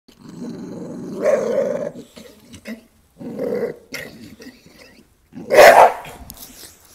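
A Bull Terrier growls in low, rumbling bouts, ending with a sharp, sudden bark.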